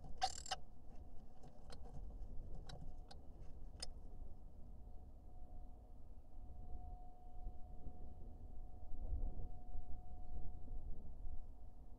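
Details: Low vehicle rumble with a few brief clicks and knocks and a faint steady hum; no animal calls.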